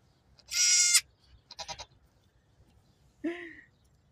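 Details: A pygmy goat kid less than a day old, one of two newborn females, gives high, thin bleats, one harsh and loud, then a short wavering cry.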